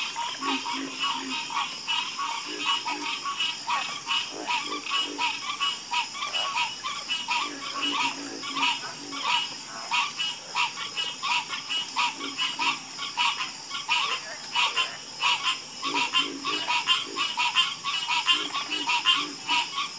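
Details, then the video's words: Frogs croaking together in a dense, harmonious chorus: fast bursts of rattling pulses repeated more than once a second, with occasional deeper croaks underneath and a steady high insect hum. "Calming Sound Of Harmonious Frog Croaking"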